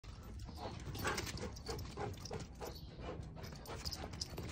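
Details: Female Giant Schnauzer panting steadily, quick breathy pulses repeating about twice a second over a constant low rumble of background noise.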